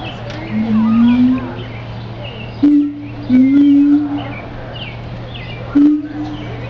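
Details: Siamang giving a series of deep, slowly rising booms, each about a second long and separated by short pauses, over a steady low hum and scattered bird chirps in the background.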